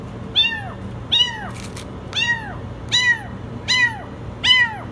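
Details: A kitten stuck in the washing machine meows very high, six arched, harmonic cries in quick succession about every three quarters of a second, backed by a faint low hum.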